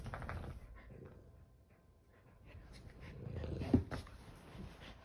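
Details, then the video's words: Kumo, a male Keeshond, rolling around on a couch indoors: low rumbling grumbles at the start, then a louder throaty grumble swelling from about three to four seconds, ending in a sharp snort, with soft rustling between. "Funny Keeshond Rolls Around On Couch"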